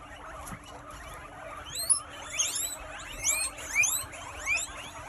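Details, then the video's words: Eighty guinea pigs in a cozy enclosure in the United Kingdom, wheeking and squeaking together: a low murmur at first, then from about two seconds a flurry of sharp, rising, overlapping squeals and whistles over a steady hum. "80 Guinea Pigs Wheeking and Squeaking at the Same Time"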